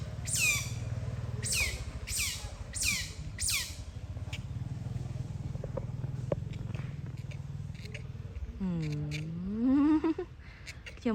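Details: Otters playing together while basking in the sun at Lomphat give five sharp, high chirps, each sweeping steeply downward, in a quick series over the first three seconds, later a rising whine, over a low rumbling background.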